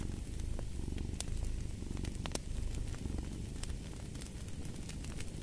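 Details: Low rumbling cat purr, strongest in the opening seconds and pulsing gently in breath-length waves, accompanied by bright clicks and pops of a crackling fireplace.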